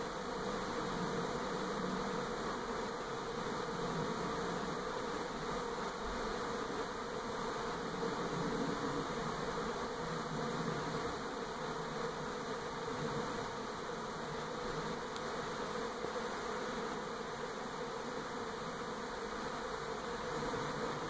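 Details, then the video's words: Continuous humming of a honey bee swarm in NE Portland, 2018, the colony shifting from its old hive to a new one near a home; an even, unbroken buzz with soft fluttering texture throughout. "Honey Bee Swarm"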